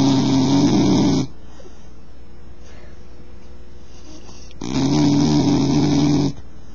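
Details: Loud snoring from a bull terrier: two strong, buzzy, droning snores, each just over a second long, spaced about four seconds apart with quiet hiss between.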